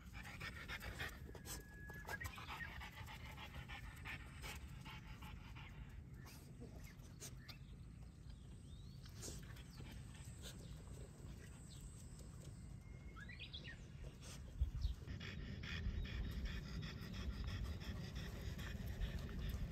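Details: French Bulldog parent and young out walking at Miharu Dam, Japan: continuous fast, huffing pants over low rumbling wind or handling noise, growing louder near the end.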